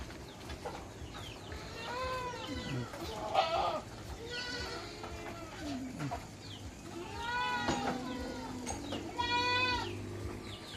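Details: Several goats bleating in overlapping, wavering calls in summer, kept by a farmer who mixes salt and molasses drinks for them; nasal, quavering bleats rise and fall every second or two, with faint human voices and clatter beneath.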